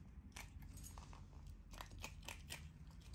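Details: An otter, a female, eats close up with no added music: wet, crunchy bites and cracks every quarter second or so, over a low steady room hum.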